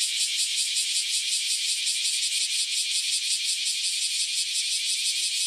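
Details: Cicadas that have just emerged from around ten years underground join in a loud shrill chorus, the buzzing pulsed in a quick, regular throb, steady from start to finish.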